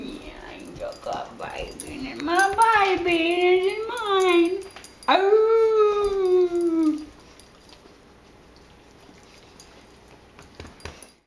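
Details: A female Great Dane gives long, wavering, drawn-out moans that rise and fall like singing, talking and singing along with her owner.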